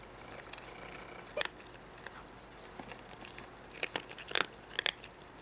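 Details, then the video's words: Crunching bites from a cat while eating, heard as scattered sharp clicks that grow into a denser burst of three or four crunches near the end, with low room hiss behind. "Chewing sound of the cat"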